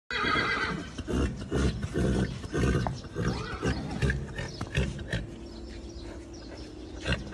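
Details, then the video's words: Horse in a stable; a loud, harsh neigh with a shaky, descending pattern at the start, followed by lower snorting and breathy pulses, with rustling and stable noise throughout. "مع فرس في إصطبل"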